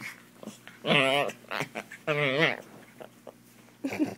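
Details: Pet Chihuahua indoors in a small room, playing and wrestling with a person, gives two long, wavering, moaning vocalizations of about a second each, rising and falling in pitch, with quiet human speech and handling noises in between.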